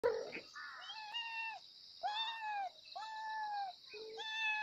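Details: Kittens meowing loudly for their mother: a series of clear, drawn-out, slightly arching meows, about one each second, with a faint high steady hiss in the background.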